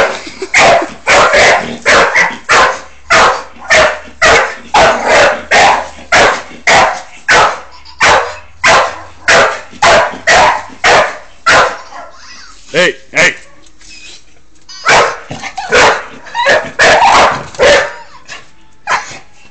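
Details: Bull Terrier playing with a hamster, barking in a long rapid run of about thirty loud, clipped barks, almost two each second, with a brief pause and scattered softer barks midway before the run resumes.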